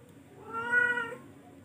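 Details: One drawn-out, swelling meow from a charcoal F1 cat, rising in loudness to a peak midway and then fading, with a low hum underneath.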